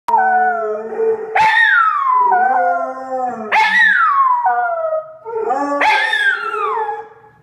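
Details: Two dogs, a Jack Russell Terrier and a Pitbull mix, trained not to bark excessively, howl together in long wavering notes, each rising sharply then sliding down in pitch; the Pitbull mix started howling first and the terrier learned from her.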